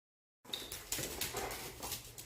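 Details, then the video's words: Hungry pit bull dog making gremlin-like noises indoors: a run of rough, breathy, whining grumbles with several short rising squeaks, continuing steadily for about two seconds in a small room. "I make gremlin noises when I'm hungry"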